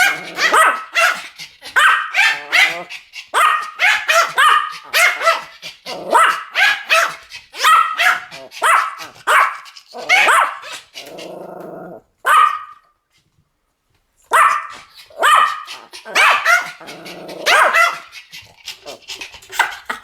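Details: Pomeranian duet barking: a dense run of rapid, shrill yaps from two dogs overlapping almost continuously, with a brief silent gap before the barrage starts again.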